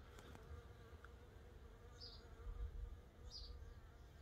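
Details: Scout honey bees at a swarm trap, a 12-frame Layens hive fitted with six frames, old drawn comb with a little capped honey, wax foundation and empty frames; a steady low droning hum with brief higher buzzy passes of individual bees.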